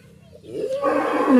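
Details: Sacrificial qurban cattle being loaded at a farmer's pen for transport to Jakarta, Indonesia; a short, loud moo that rises in pitch and then holds, rich in harmonics, breaking in after a quiet low rumble.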